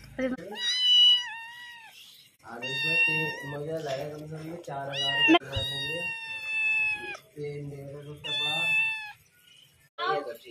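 A Persian kitten gives a series of drawn-out, high, wavering meows with brief pauses between them.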